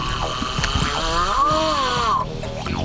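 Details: A captured freshwater crocodile at the McKinley River, unhappy, gives a distress call: one drawn-out, arching, harmonic moan that rises and then falls, lasting about a second, over background murmur and scattered knocks.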